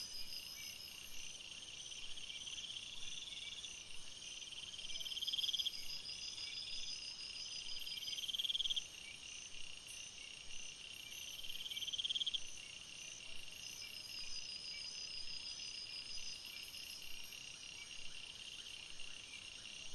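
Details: Night chorus of crickets in a forest: dense, unbroken high trills, with brief louder chirp sequences standing out every few seconds against the constant ringing insect background.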